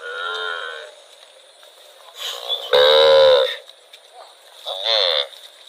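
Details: A cow roaming rural rice fields lets out one loud, rough bellow lasting under a second, with fainter, shorter calls before and after it.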